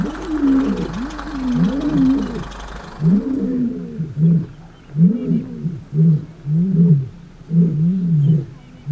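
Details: Male lions roaring in a territorial dispute as a takeover begins, southern Kruger National Park, morning. Low moaning roars give way to a steady run of short grunts, each about a second apart, with some early background hiss.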